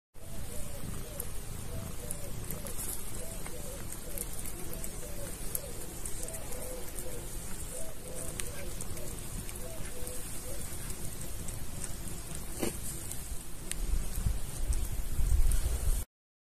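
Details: Calico kitty eating chicken from a person's hand, purring throughout in a low, steady rumble with fast repeated pulses, mixed with wet chewing and licking sounds close to the recorder.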